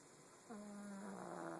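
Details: Pug asleep, giving one drawn-out buzzy snore that starts abruptly after a short quiet pause and holds a low, slightly wavering tone to the end.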